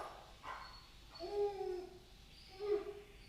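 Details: Pet dog whining after a knock at the door during training to stop barking at visitors, the whine treated the same as a bark; thin, high, drawn-out whimpers, two longer wavering ones a second or so apart, in a quiet room.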